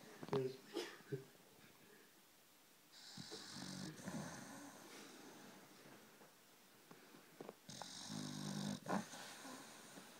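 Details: A pet dog asleep indoors on a sofa, snoring: two long, breathy, rasping snores about a second each, separated by several seconds of quieter breathing, with a few short clicks and faint sounds early on.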